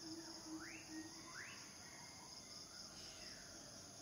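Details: Courting male cicadas hold a steady high hiss. Two quick upward-sweeping bird whistles stand out near the start, with a low hum underneath.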